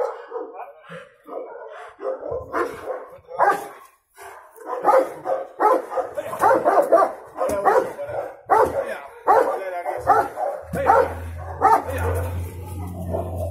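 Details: Cimarrón Uruguayo dog facing an intruder for the first time, barking in a rapid, uneven series of harsh, repeated barks, with Spanish-speaking voices mixed in and a low rumbling hum near the end.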